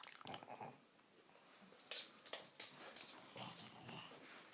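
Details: Female pug chewing a bone she was given after a walk, making a weird celebratory noise; short snorts, clicks and chewing bursts scattered through a small indoor room, with a faint voice in the background.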